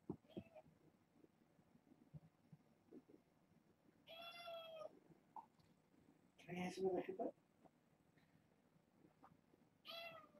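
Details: Kittens from a litter of six, four females and two males born August 29th to a family pet, visiting indoors: three clear, high, harmonic meows, one drawn out, one sharper and noisier, one short at the end, over faint room noise.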